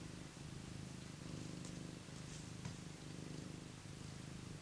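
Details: Cat purring while warming by a heater: a low, even rumble pulsing steadily, with slight rises and dips in loudness and a brief faint click midway.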